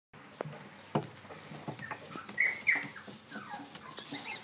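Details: Cavalier King Charles Spaniel of the Blenheim colour at a dog centre in Athens, Greece, filmed 4 June 2013; high thin whimpers and yelps rise and fall in short bursts, with soft knocks and rustling and a louder scrape near the end.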